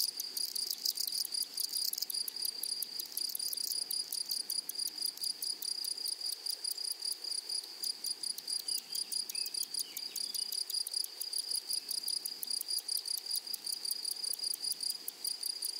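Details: Grasshoppers singing across a flowery prairie meadow: a constant piercing whine with dense, rapid ticking that thickens at the start then runs evenly, and faint softer insect chirps underneath.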